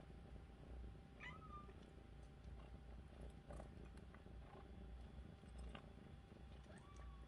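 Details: Rescued kitten, a week after being taken in from the street, giving soft short meows at intervals amid low steady background hum, with a woman speaking gently nearby.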